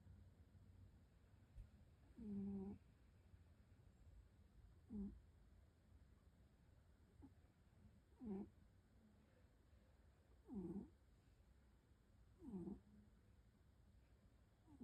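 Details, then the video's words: A sleeping cat snores softly, each quiet, low, raspy breath sound coming about every two to three seconds in a still room with faint background hiss. "Cat Roncando en su dulce sueño"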